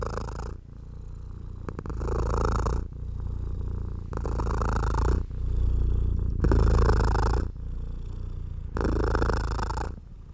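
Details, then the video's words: House cat purring while being stroked: a low, steady rumble that swells and fades with each breath, about every one and a half seconds, with soft brushing noises between the swells. "Cat Therapy 4Hrs of Stroking & Purring"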